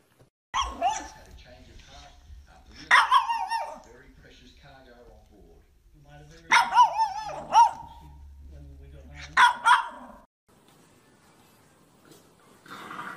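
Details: Puppy letting out four high, bright yips spaced roughly three seconds apart, with a soft low hum underneath and quiet stretches between calls.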